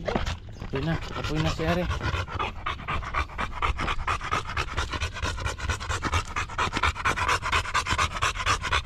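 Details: Female Golden Retriever panting in quick, rhythmic breathy bursts, a little over two per second, steady and strong after a short stretch of human speech and a brief whining tone at the start.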